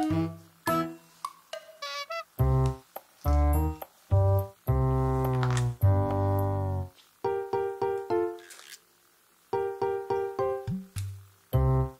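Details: Bright piano-style keyboard music plays in short bursts, with clear tonal notes separated by brief silences and no animal voice standing out.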